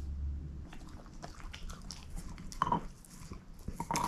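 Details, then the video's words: Shepherd mix dog chewing on a bone in a small room, soft scraping and gnawing throughout, with two sharper crunches late in the clip over a steady low background rumble; no voices. "SHEPHERD EATING BONE ASMR"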